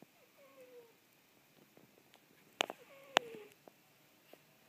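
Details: Halley, a pet cat, snoring squeakily during a nap indoors: thin, faint squeaks that slide slightly downward, repeating a few times, broken by a couple of sharp clicking sounds in a quiet room.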